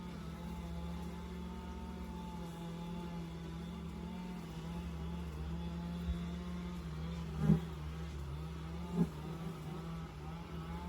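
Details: Honey bees at the entrance of an insulated long Langstroth hive in South East Texas, a steady low droning hum with a slightly wavering tone, broken by two brief louder buzzes as bees pass close, near seven and nine seconds.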